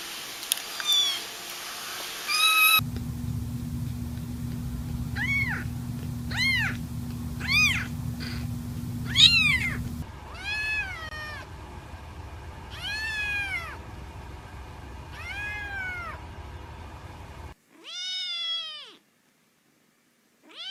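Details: Many rapid, high, arching meows from a cat or kitten, repeated about once a second, first over a low droning hum, then over quieter background, ending with a single meow and silence.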